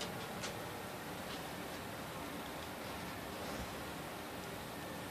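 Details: Only a steady broadband hiss with faint rustles is heard, with no animal voice.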